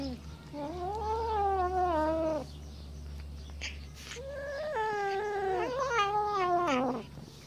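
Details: Jealous Siamese cats guarding their fish, refusing to share it, give two long, wavering, nasal yowls.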